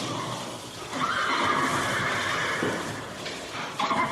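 A horse neighs in a long, quavering whinny that holds steady before fading, then starts again briefly near the end.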